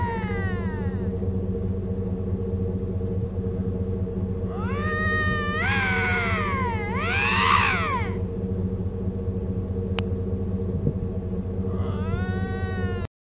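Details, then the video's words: Lynx screaming in mating season by the Mackenzie Valley Winter road: several warbling, wavering wails that climb and fall, some overlapping, over constant loud vehicle engine hum, with one sharp click midway. "Lynx Screaming during mating season"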